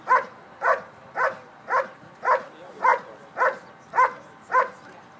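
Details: Schutzhund trial dog at the 2013 USA IPO Nationals holding and barking: nine loud, regular barks in about five seconds, each a sharp mid-pitched burst, over a low background hum.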